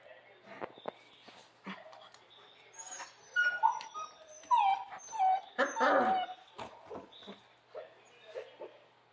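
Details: Central Asian Shepherd puppies whimpering and yelping: a run of short, high, squeaky whines bending up and down, several overlapping, mixed with clicks, rustling and a person talking softly.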